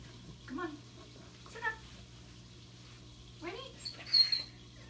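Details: Blind puppy in pain, indoors, giving short, wavering, whiny cries with bending pitch in three bursts over about three seconds, then a thin, very high squeal near the end; a steady low electrical hum runs throughout.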